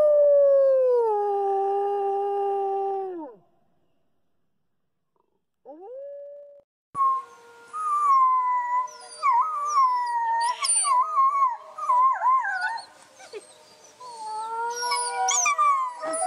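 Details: Wolves in a pack howl: a lone falling howl, a pause, a short rising note, then a chorus of many wavering, yipping and bending voices overlapping in a busy, uneven group howl.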